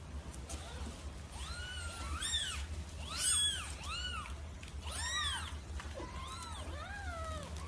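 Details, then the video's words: Domestic cat, described as fierce and in heat, wanting to mate: a quick run of short, arched, nasal meows, each rising then falling, coming roughly every half second to second, some overlapping, over a steady low hum. "صوت قطط"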